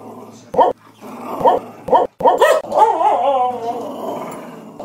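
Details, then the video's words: Cheeba, a pet dog, puts on a 'singing' performance: short yelping, howl-like notes in quick bursts, then a longer wavering, sliding wail near the end. "CUTE SINGING & RAPPING PUPPY"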